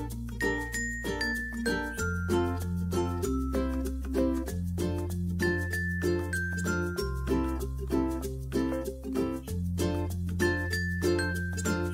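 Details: A bright, tinkling children's-style music track with a bell-like melody over a repeating bass line, and no animal sound.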